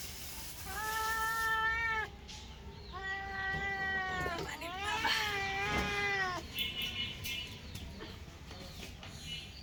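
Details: Kittens meowing during a meal: three drawn-out meows in close succession, the third overlapped by a second voice, then quieter faint sounds and low hum.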